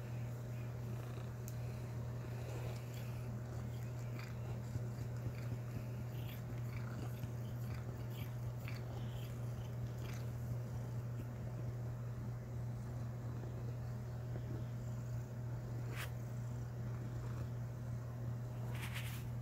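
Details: Norwegian Forest Cat named Critter, a female, jumping into bed at nightly bedtime for attention, kneading and grooming; a low, steady rumbling purr runs throughout, with scattered soft clicks and bedding rustles.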